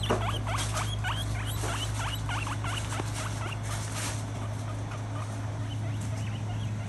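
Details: An interactive female pet guinea pig gives a fast series of short upswept squeaks, densest early on and thinning later. A constant low electrical-sounding hum continues throughout.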